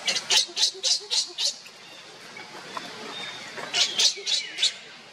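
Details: Loud, piercing screams from baby monkey Leo, calling for its mother Libby. A rhythmic burst of six sharp shrieks, roughly three each second, is followed by a short lull, then a second run of about five.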